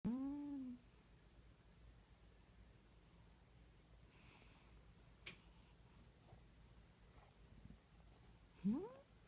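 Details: Bub, a domestic cat, talks in his sleep while dreaming and twitching: a short rising-falling mew at the start, a near-silent stretch with soft breathing, then a brief sharp upward chirp near the end, indoors.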